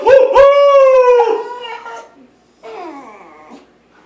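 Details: A Schnauzer howls along as the US national anthem is sung indoors. A sustained, tonal howl slowly sags in pitch for about a second and a half. A quieter, wavering falling howl follows after a short pause.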